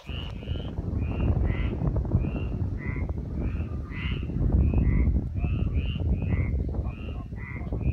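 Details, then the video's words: Frogs in Liguria, Italy, calling in a chorus of short, nasal, rising croaks repeated roughly every half second, several voices overlapping over a steady low rumble. "Ligurian frogs"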